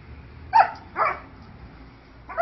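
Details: Alaskan Malamute female angrily trying to bite a basketball during play; two quick harsh barks close together, then a third after a pause, over faint room noise.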